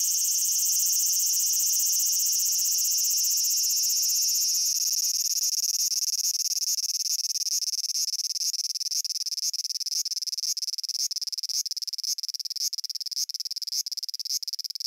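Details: Japanese cicada song that opens as a steady high-pitched buzz, then from about five seconds breaks into rapid regular pulses, a throbbing, stuttering rhythm that continues to the end.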